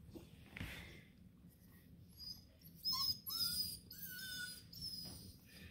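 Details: A Bluetick Coonhound puppy on a bed, super excited about his treat bone, gives high, thin, excited whines that slide up and down.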